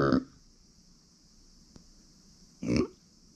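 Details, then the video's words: Two short, rough grunts from Uni, a female micro pig kept at home, one at the start and another near the end, separated by quiet room tone with a constant high-pitched hiss. "ブーブーなく マイクロブタ"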